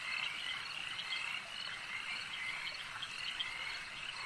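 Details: Lakeside frogs croaking together in a thick, unbroken chorus of shrill, rapid trills, with a few slightly louder callers rising above the mass.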